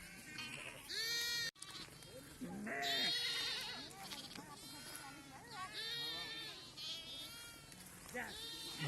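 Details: Flock of sheep bleating repeatedly while receiving PPR vaccine from a Gopala Mitra worker, many quavering cries rising and falling in quick succession, overlapping with people speaking and handling noises.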